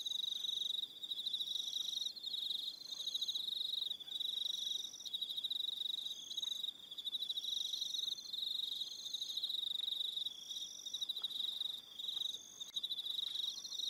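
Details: In the evening on Aroha Island, New Zealand, crickets chirp steadily in a high, pulsing chorus that continues without pause.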